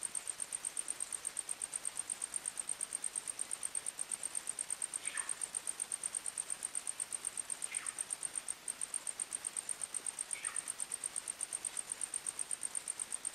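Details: At night in a forest, crickets chirp steadily in fast, even high-pitched pulses, while several soft, short descending calls from another animal sound faintly in the background.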